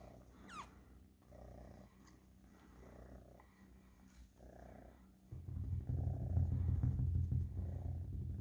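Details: Cat purring in a low, throbbing rumble, quiet at first and growing much louder and deeper in the last three seconds; one brief rising squeak near the start.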